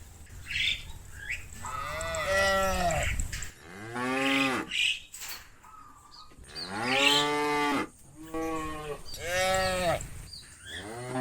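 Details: Near sunset, a herd of cows in the fields low repeatedly as they want to go home to the barn. Each moo is a drawn-out, rich tone that swells, then sags in pitch, with faint chirps and background hiss between calls.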